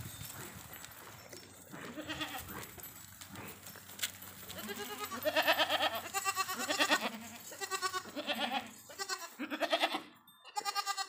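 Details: Indian desi farm goats calling, at first faint and mixed with background noise, then a run of loud, quavering, nasal bleats in close series, several animals answering each other, ending abruptly.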